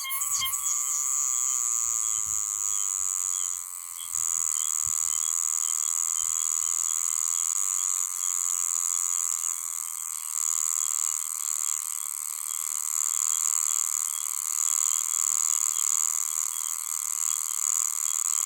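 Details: Meimuna oshimensis cicada in Okinawa, Japan, singing loudly late in the season as its numbers increase after August; a dense, continuous high-pitched buzzing drone with a brief dip near four seconds and steady pulsing throughout.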